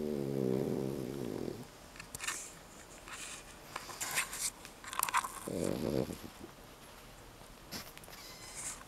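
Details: A 9-month-old male Pekingese, awake and content while being held, makes a low, raspy snoring snort through his nose, with a second shorter burst later.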